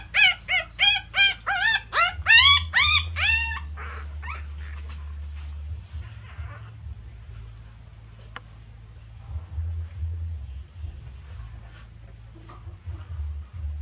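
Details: Dogs during a mother's move of her puppies to a new nest: about a dozen loud, high, arched yelps in quick succession over three seconds, then near silence with faint whimpers and steady low hum.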